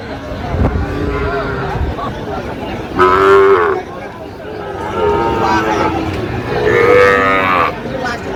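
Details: At Nawabganj, Dinajpur, Bangladesh, on 23 August 2025, Sahiwal cattle including a bull calf low three times, roughly two seconds apart. Each moo is loud, harmonic and drawn out, heard over murmuring voices.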